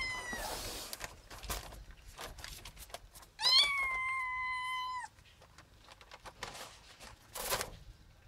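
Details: Ginger the cat gives one long, steady meow lasting about a second and a half, holding a level pitch before dropping slightly at the end, amid soft clicks and rustling.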